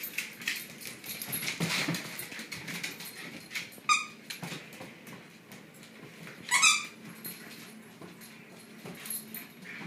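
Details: Shiba Inu dogs playing tug of war indoors; faint scuffling and panting sounds with two short, high squeaky yelps near the fourth and sixth-and-a-half seconds.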